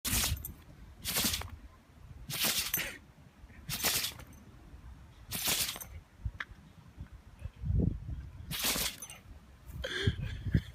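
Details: Fox red Labrador Retriever in a sneezing fit, seven explosive sneezes, each a sharp broad burst of breath, coming about every one to one and a half seconds, with a brief thud and light noises in between.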